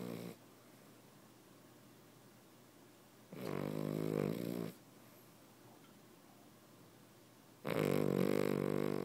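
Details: Cavalier King Charles Spaniel snoring indoors. Two long, rasping, low snores roughly four seconds apart, each lasting over a second, with quiet breathing in between.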